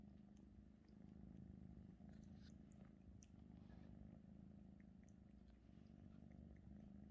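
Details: Russian Blue cat named 마음이 (Maeum-i) kneading its owner's blanket indoors; close, steady low purr with a continuous rumbling buzz and faint soft rustling of fabric.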